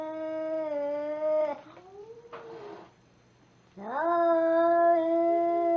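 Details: Angry cat letting out a loud, sustained harmonic yowl that bends downward, then a short burst of hiss-like noise and a pause, then another rising, held yowl.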